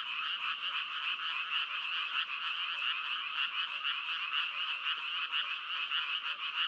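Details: Many frogs call together in a dense, steady chorus of overlapping, rattling croaks. The pulses blur into one continuous buzzy wash with no pauses, and no other sounds can be heard.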